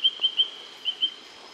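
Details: Goose frogs sing along a high-altitude stream in the southern tip of the Annamite range, Vietnam, giving short, high, bird-like whistled notes in quick series over steady stream hiss.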